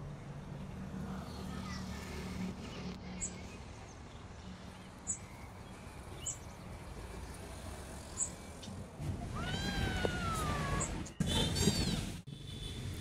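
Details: Rescued homeless kitten Rocky, abandoned on the street, gives one falling, drawn-out meow near the end after a long stretch of low outdoor rumble and faint clicks.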